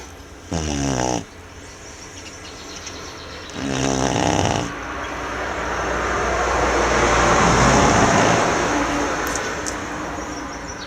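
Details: Manjurhi, a Tibetan Mastiff, snores in sleep with two rough, buzzy snores about three seconds apart. A broad rushing noise then swells and masks the rest, with a few faint clicks near the end.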